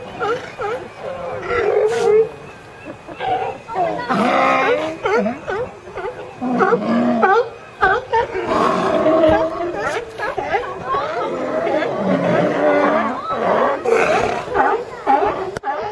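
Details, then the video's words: Crowded group of California sea lions hauled out together, with a seagull perched atop the pile: overlapping hoarse barks, groans and gargling roars from many animals, rising and falling in a noisy chorus. "California Sea Lions"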